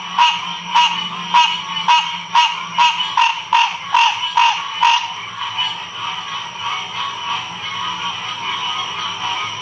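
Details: Frogs calling in chorus at Ocean Springs, Mississippi, 2016: a nearby frog gives rapid, evenly spaced clicking calls for about five seconds above a constant buzzing background chorus that continues after it stops.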